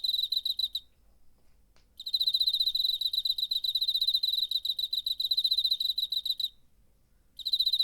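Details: Cricket chirping, September 2019, captured on a DR-05 recorder; a short burst of fast pulsed trilling, a pause, then a sustained run of rapid shrill pulses lasting over four seconds before another bout begins.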